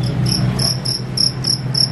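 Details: Wild-caught field crickets, large and healthy, from a cricket seller in Indonesia, bought as a song tutor for birds; shrill high chirps pulsed in rapid bursts about three times a second over a steady low indoor hum.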